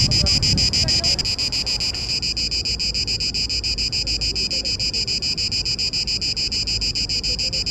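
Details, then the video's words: Male Cicada orni singing in Parque Eduardo VII during the mating season to attract females; loud, buzzy pulsed rasp centred high, repeated about three and a half times per second, steady and continuous, with faint low background rumble. "Cigarra (Cicada orni) a cantar no Parque Eduardo VII"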